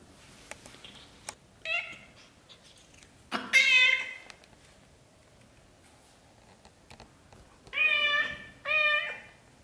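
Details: British shorthair kittens in their first month, from a litter of black golden and blue golden kittens: high harmonic meows, one short call, a long loud cry, then a matched pair of rising-falling meows near the end, quiet indoor room between.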